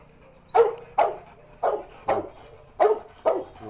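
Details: Dog barking during Musso's furious reaction on meeting the pitbull that bit Art: seven sharp, mid-pitched barks at uneven intervals of about half a second, each a short burst with a clear tonal core, over a quiet background.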